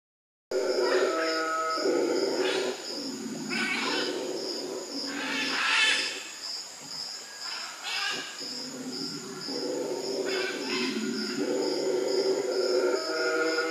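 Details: Howler monkeys calling to each other at the Manu Learning Centre, Manu: deep, rough roaring bouts of a second or two, rising and falling in waves with short gaps, over a steady pulsing high insect drone.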